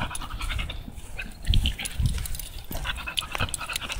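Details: Tugboat, an American Bully, panting during a walk outdoors: rapid rough breaths with stronger puffs around the middle, set against constant low-pitched background hum.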